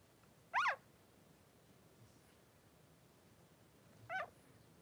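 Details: Three-day-old Blenheim Cavalier King Charles Spaniel pup in Pom-Pom's newborn pen gives two brief, thin, squealing whimpers about three and a half seconds apart, each rising then falling, with a soft room hush between them.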